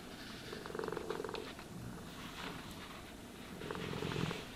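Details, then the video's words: Cat purring while groomed and brushed, a soft low rumble rising in two breathy surges with light scratching brush strokes in between, no voices. "Cats Purring Sounds for Sleep and Stress Relief | Cat Brushing, Cat Grooming"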